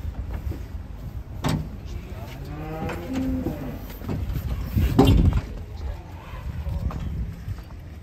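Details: A raging cow, frightened of water and eventually carried, gives a short harmonic low near three seconds amid heavy rumbling, loud thumps and bangs, and background voices.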